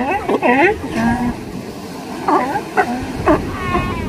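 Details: Sea lions at a California beach with mothers and pups, mixing wavering, moaning calls and short barks over steady roaring surf.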